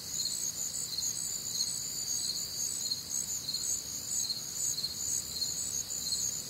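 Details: Crickets and other nocturnal insects on a warm, humid Midwestern summer night: a dense high chorus of pulsing chirps, several voices layered at different pitches, steady throughout with a faint low background hum.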